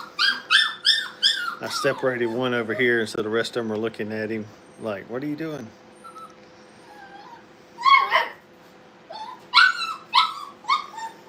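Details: Brittany puppies at playtime in a training kennel give high, wavering whimpers and squeals at the start and end, with a human voice talking loudly in between indoors.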